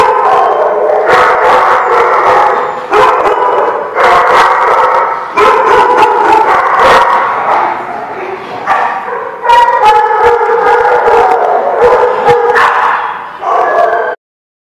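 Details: Dogs at a kennel lot on 26 February 2016 barking continuously, many voices overlapping in quick irregular bursts, with occasional higher yips and faint speech beneath the din.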